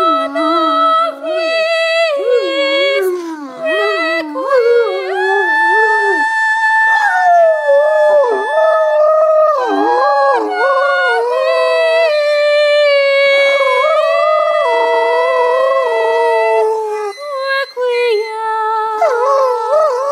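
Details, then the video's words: A female Great Dane lying on a bed beside a person howls in long, sliding, wavering tones, joining in with the person's singing. "Great Dane singing"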